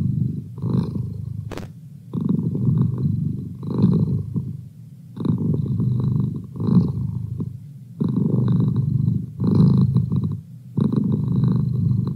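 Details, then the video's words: Pet cat Merlin purring up close: rhythmic low rumble swelling and easing about twenty times a minute, with one faint click early on. "Cat Purr"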